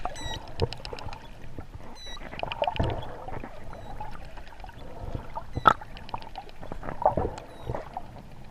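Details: Wild dolphins, recorded on a sunny day on 12 November 2014 in 25°C water during a dolphin swim, give bursts of sharp clicks and brief high whistles over sloshing water.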